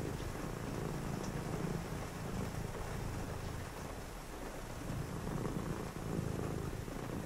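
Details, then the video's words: Purring cat on a rainy night during a cozy reading session; steady low rumbling purr throughout, with a soft, constant hiss of rain behind it. "cozy read with me (& a purring cat) on a rainy night"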